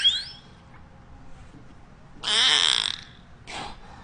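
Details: A beluga whale, recorded in Orlando, Florida, gives a rasping, buzzy burst of high squeals after a brief rising whistle.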